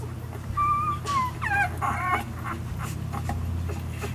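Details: One-week-old Savannah nursing puppies whimper: clear high tonal squeals, some rising and falling, a few wavering cries in quick succession over a steady low hum, then quieter suckling noises.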